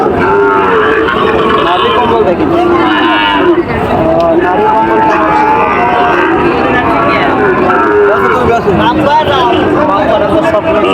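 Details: Sahiwal bull at a Joypurhat cattle market in Bangladesh on 23/6/25: repeated low moos come through busy market chatter, with voices of buyers and sellers throughout.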